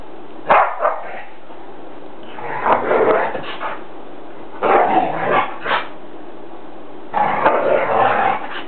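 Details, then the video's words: Indoor play fight between dogs in a living room: clustered rough howling yelps of about a second each, arriving in three busy groups separated by brief pauses, strained and broken rather than smooth. "Dogs Howling in living room"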